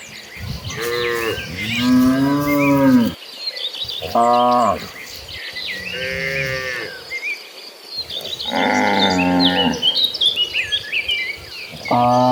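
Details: Agitated herd of cattle running toward green pastures: a series of loud, drawn-out harmonic moos from several cows, some long and wavering, others short, with steady bird chirping in the background.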